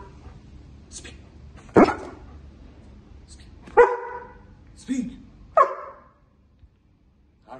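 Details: Pet German Shepherd barking on a spoken "talk" command, the command given in Persian: four short, sharp barks about a second apart, each following a brief spoken word in an otherwise quiet indoor space.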